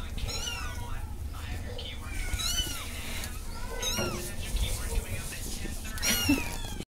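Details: Kittens with their mother cat mewing in high, thin, wavering cries that overlap and repeat throughout, heard beneath steady background noise and low hum.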